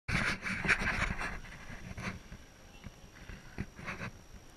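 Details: Corgi panting in quick, rough breaths, about two to three per second, loudest in the first second and then softer and uneven, over a faint steady electrical hum.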